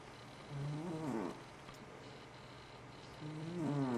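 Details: A dozing pet cat, FatCat, snores twice, each a buzzy, wavering breath that rises and dips in pitch, with a quiet pause between them.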